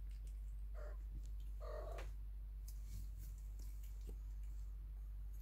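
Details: Awake kittens in their nest, at a time when their mother is neither nursing nor cleaning them, give two short, soft mews close together, over a steady low hum with faint clicks and rustling.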